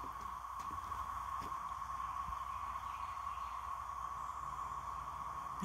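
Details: In Randolph County, a cicada chorus, called locusts, makes a steady, unbroken, whirring drone at one mid-high pitch, said to be louder than the day before.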